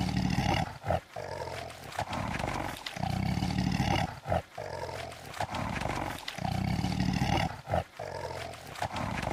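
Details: Lion producing a steady series of deep, grunting roars, each lasting about a second and separated by brief silent breaths, repeating in a regular rhythm.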